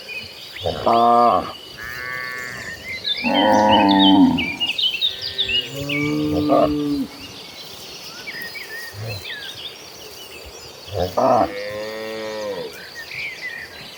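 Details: Herd of cattle walking toward green pasture, lowing in long harmonic moos of about a second each, three loud calls spaced several seconds apart with a fainter one between, over a steady background of high insect-like chirping.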